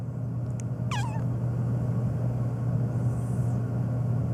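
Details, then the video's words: A single brief downward-bending meow from Phoebe, a black pet cat that meows nonstop and especially at sneezing, over a constant low droning hum. "My Black Cat Meowing Nonstop, especially to sneezing"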